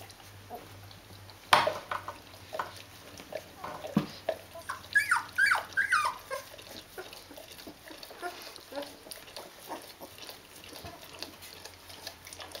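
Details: Fourteen-day-old Rhodesian Ridgeback puppies from a D-litter with their mom: a sharp knock, then a burst of thin whining squeals in the middle, fading to soft scattered whimpers and rustling.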